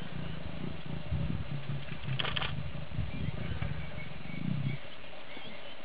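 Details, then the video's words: Lioness trying to lure an uninterested male lion to mate, giving low, pulsing moan-like calls with a gravelly texture, two drawn-out bouts about a second long each, over steady background rumble. "Lioness attempting to lure an uninterested male Lion to mate!"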